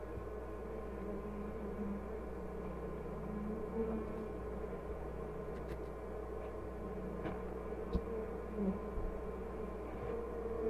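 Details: Honey bee colony during a hive inspection at an apiary called The Mountain, with hives full of honey and the queen present. A steady, droning hum of layered low tones runs throughout, broken by a few faint clicks and taps.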